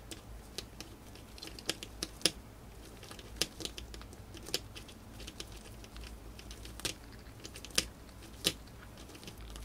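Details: Crunching of a female pet hamster eating dried corn indoors; bright, brittle cracks and nibbles arrive in uneven bursts, several sharp loud bites among quicker quieter ones, over a low steady hum.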